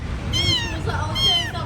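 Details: Pet kittens, grown big and now able to walk, give two high, thin meows about a second apart, each slightly falling in pitch, over a low traffic rumble and nearby voices.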